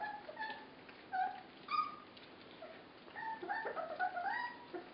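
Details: Feeding 24-day-old puppies produce drawn-out, wavering whines and sharp squeaks, some rising and falling in pitch, with several pups calling at once near the end.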